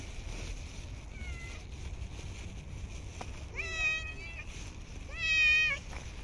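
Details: Homeless street cats fed in snowy winter cold give loud, clear meows: a soft faint call, then two strong, rich, slightly falling meows about a second and a half apart, with low background hum.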